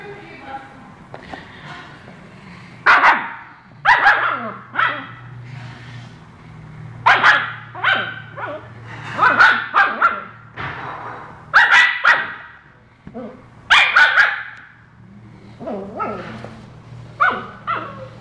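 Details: Tequila, a husky, vocalizes in uneven bursts of harmonic yelps, barks and warbling whines, roughly every one to two seconds across the stretch, with a steady low hum underneath and human voices possibly mixed in.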